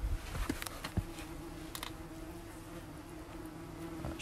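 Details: Many German wasps at a nest, recorded during pest treatment: a steady low droning buzz with a faint higher overtone runs throughout, broken by a few soft knocks and clicks near the start.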